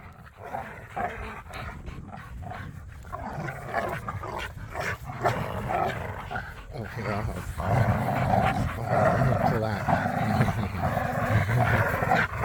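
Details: Low rumbling growls and snarls from dogs playing tug of war in a yard, pit bulls and a Malinois, growing louder toward the end, with a person's voice faintly mixed in.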